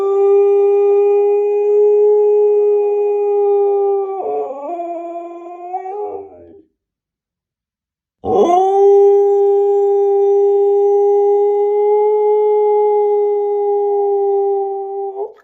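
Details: Siberian Husky puppy howling: two long, steady, tonal howls held at an even pitch, the first wavering and breaking downward near its end, separated by a brief silence before the second rises sharply and holds level.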